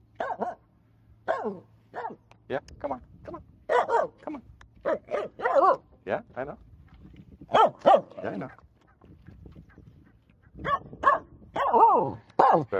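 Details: Finnish Spitz barking on a jetty out in a bay, apparently at everything and nothing: short sharp barks in irregular bursts, some doubled, with a person talking and coaxing the dog between barks.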